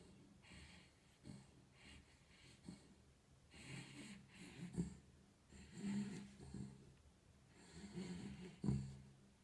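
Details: Snoring from a sleeping domestic dog: repeated low, buzzy, wheezing breaths in an irregular rhythm, swelling into several louder snorts toward the end, with no other sounds in the small room.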